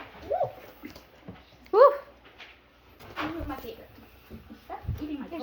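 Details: Five-week-old Double Doodle puppies indoors; one sharp, rising-then-falling puppy yelp stands out midway, with a woman's voice talking and cooing around it and softer whines scattered through.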